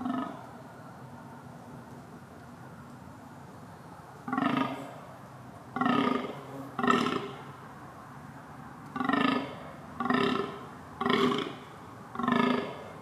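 A deer gives a series of short, hoarse, harmonic bellows, repeated about once a second.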